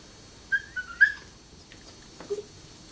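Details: Fiji, a female dog, whining behind a gate because she cannot get to her owner on the other side: a few short, thin, high whines in quick succession early on, then near silence with a soft low sound near the end.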